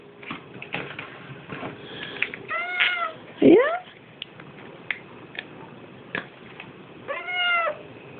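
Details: Siamese cat indoors at midnight demanding food, giving drawn-out wailing meows with rising and falling pitch, several separate calls spread over eight seconds, with a woman speaking quietly between them.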